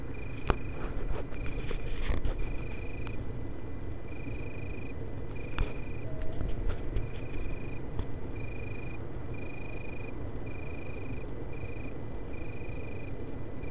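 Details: Italian tree cricket males singing in Berlin, 24 August 2013: short, clear trilled phrases of half a second to a second, repeated regularly, against a loud low-pitched background hum with some scattered clicks.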